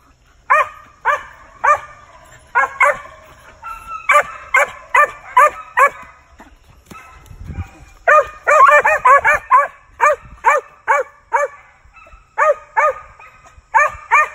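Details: Young male Original Mountain Cur squirrel dog in training, hunting with other dogs; a bright, arched bark repeated roughly twice a second in bursts with short pauses, and a man praising the dogs.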